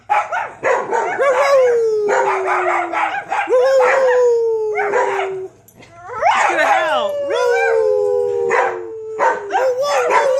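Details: Pet dogs howl together in long, slowly falling, wavering tones, mixed with sharp yelping barks; the chorus pauses briefly halfway, then resumes as several voices overlap, with a low background hum.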